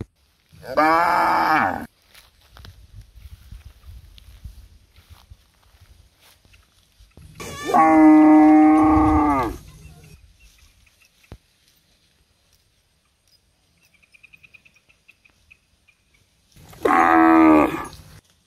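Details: In a palm oil plantation, cows breastfeeding their young moo three times, loud harmonic bellows spaced about eight seconds apart, with soft low rumbling and a brief faint high tone in the quiet stretches.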